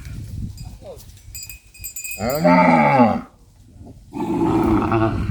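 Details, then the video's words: Cow among cattle being herded back to the farm barn: two loud, deep moos with rich harmonics. The first arches up and down for about a second; the second, steadier and drawn out, comes about a second later, over low rumbling background noise. "Funny Cow Sounds!"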